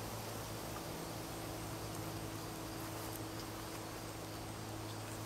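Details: Swarming honey bees massed in a tree near a house in Newcastle, Ontario, giving an unbroken low droning hum layered over broad hissing noise, even in loudness throughout, with faint scattered clicks.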